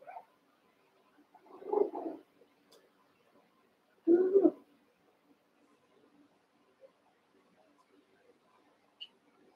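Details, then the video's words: Playful Cavalier King Charles Spaniel puppies, eight littermates and pen-mates in the Red Barn puppy pen, wrestling; two rough, mid-pitched growly barks about two seconds apart against a quiet room with faint ticks. "One Month Old Cavalier Puppies Wrestle and Play"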